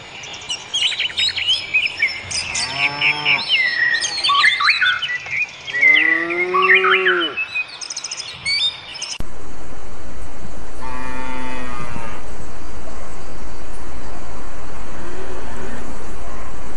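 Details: Cows on pasture: three low, drawn-out moos with rich harmonics, spaced a few seconds apart, over a busy background of chirping, twittering birds that fades into steady hiss during the last part.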